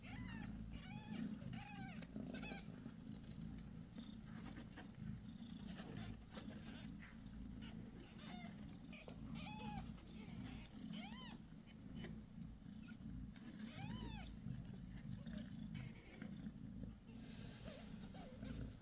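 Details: Mother cat on the sixth day after giving birth to five kittens: short arched mews, rising then falling, given in irregular bursts, some faint and some louder, over a steady low indoor hum.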